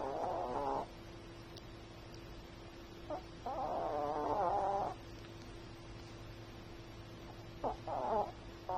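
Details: Snoring from a sleeping Chihuahua: rough, whistly breaths come in uneven bursts, one long drawn-out snore and several short snorts, with quiet pauses between. A faint electrical hum stays underneath.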